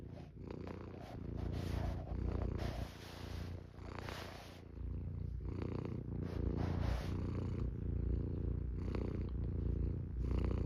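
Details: Norwegian Forest cat purring: a steady, deep rumbling drone with pulsing low harmonics that rise and fall in loudness throughout, with soft rustling and brief higher hissy breaths over it.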